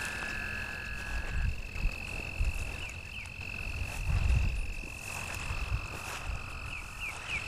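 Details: Toads at Lake Worth, Texas, calling at dusk on 24 April 2010, tentatively an American toad close by and a Fowler's toad in the distance: a continuous high-pitched trill on one even pitch, with wind, handling rumble and a man speaking quietly.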